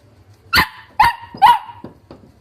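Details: Wire-haired Dachshund puppies from a litter of seven siblings, filmed a few years ago as pets; three sharp, high yapping barks half a second apart, followed by two fainter short yips, over a quiet indoor background hum.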